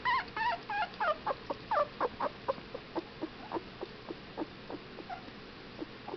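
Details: Whippet puppies 15 days old start with a burst of wavering squeals, then fade into sparser short clicks and thin peeps scattered over several seconds.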